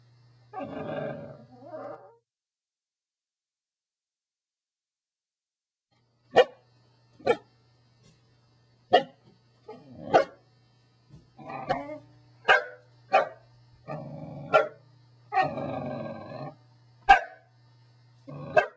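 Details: Corgi barking: a short two-part bark burst, a pause, then a run of sharp, clipped barks and grumbling vocal yaps, spaced about every half second to a second, in a quiet indoor setting with a faint steady hum.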